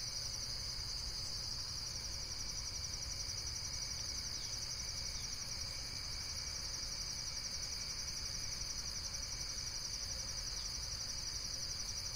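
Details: Unbroken high insect chirring, rapid pulses blending into one shrill ringing band for the whole stretch, a thinner lower tone beside it and a soft low rumble beneath.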